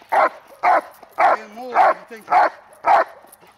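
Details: Hold-and-bark protection training, May 19, 2020: a dog delivers six forceful, regular barks roughly every half second, with a quiet human voice heard between them.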